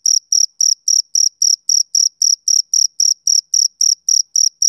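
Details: Rhythmic chirps from a male cricket on a summer evening, each a bright, shrill burst, about seventeen delivered at an even, quick tempo with no other sounds present.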